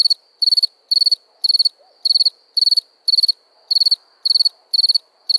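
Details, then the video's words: At night a cricket gives crisp, high chirps, each a quick cluster of four or five pulses, repeated roughly twice a second, over a quiet background. "Relaxing Chirping Crickets"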